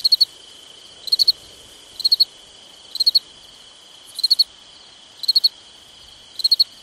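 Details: Night chorus of crickets in summer: bright three-pulse chirps recurring about every second, seven heard, with a constant thin whining tone underneath.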